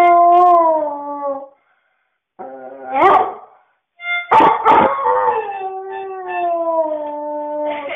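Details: Siberian Husky singing to a flute, giving drawn-out howls that waver and dip, with short rough yips between, then a long falling howl held over several seconds; short silences separate the phrases.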